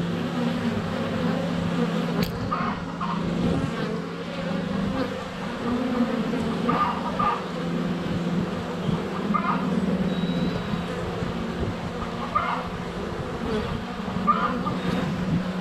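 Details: Continuous low humming of many honey bees flying around the hive entrance in sunny February weather, GoPro Hero 7 Black under a foot away; faint clucking chickens and distant birds punctuate the drone.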